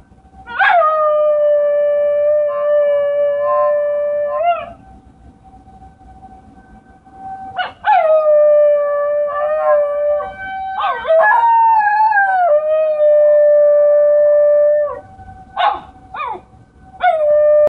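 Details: A Basenji imitates a tornado siren with drawn-out, level howls. Each begins with a quick upward yelp, holds a steady tone, then wavers downward. A faint constant tone runs beneath, and short sharp yips come near the end.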